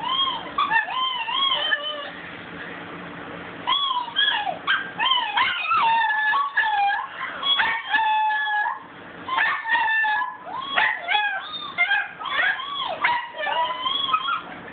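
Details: A pet dog howling, recorded on a phone: wavering, yodelling high-pitched howls that rise and fall in looping arcs, in long phrases broken by short pauses, with a brief quiet stretch midway.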